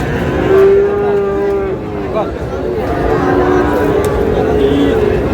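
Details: A Friesian or cross-breed bull calf at the Raniganj market, Dinajpur, Bangladesh, gives a level moo of about a second. A softer lowing follows later, over a background of crowd murmur.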